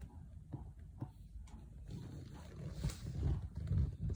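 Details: Sleeping cat snoring, a low throaty rumble that grows steadily louder, with heavier rasping pulses about every half second near the end.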